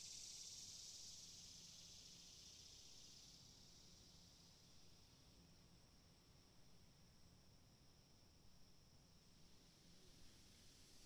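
A cicada gives a steady, high, sizzling drone that is loudest at first and then slowly fades.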